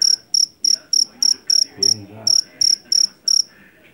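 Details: Shrill, evenly spaced chirps from a jangkrik jeliteng, a Javanese field cricket caught in a paddy field, about three and a half per second, with a brief pause in the middle and a low murmur behind.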